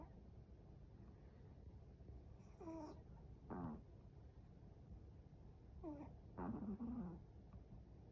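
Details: Sleeping Chihuahua snoring indoors: short squeaky, whistling nasal sounds that fall in pitch, in two groups of two or three near the third and sixth seconds, over a steady low background hum.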